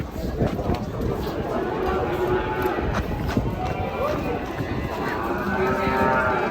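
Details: Large cattle being unloaded from a truck to be weighed, giving low, drawn-out moos with faint harmonic arcs, set against constant broadband rumble and clatter from the unloading.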